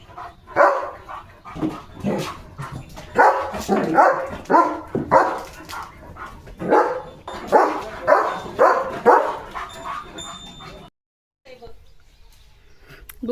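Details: Pet German Shepherd Leo in an excited hyper mode while playing with a new chocobar-shaped toy, giving a run of harsh, uneven barks about twice a second, then a brief silence and quieter sounds near the end.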